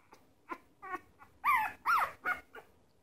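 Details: Red Shiba Inu puppy making silly sounds while wanting more milk: a run of short nasal whines and yelps, about seven separate bursts that rise and fall, with the loudest two in the middle, over a quiet indoor background.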